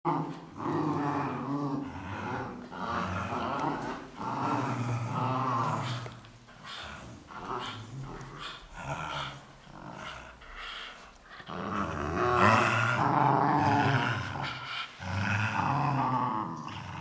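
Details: Dogs in a brutal fight, snarling and growling continuously in low rough bursts that swell and fade over several seconds, with broad harsh noise between the growls and loud stretches near the end.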